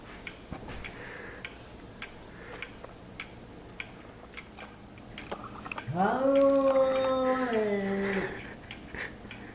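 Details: Domestic cat indoors, angry at a kitten, giving a weird drawn-out wailing growl of about two seconds near the end, steady then slightly falling, after quiet clicks and small rustles.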